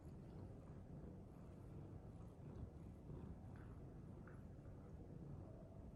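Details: In a kitchen, a Scottish Fold cat lying asleep on its back purrs softly, a steady low vibrating drone with regular pulsing, with a couple of brief faint higher squeaky sounds near the end.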